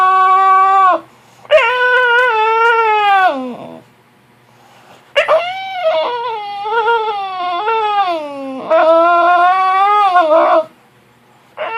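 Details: Penelope the puppy complaining after an early wake-up from her nap: drawn-out, tonal whines in three long bouts separated by brief silences, each starting high and sagging in pitch before breaking off, in a small quiet room.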